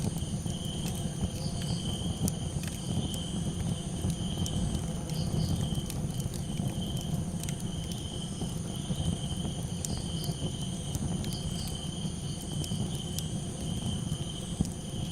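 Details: Crickets calling at night beside a campfire: a steady, unbroken high chirring drone with a fainter tone above it. Dense low crackling and popping of burning wood fills the background throughout.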